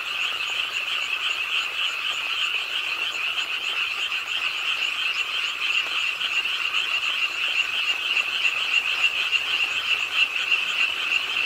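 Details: Frogs croaking by a pond in Suwon's Ingye Art Park, South Korea, late on a rainy night; a dense, continuous chorus of many overlapping rapid trilled croaks, steady and bright throughout with no pauses.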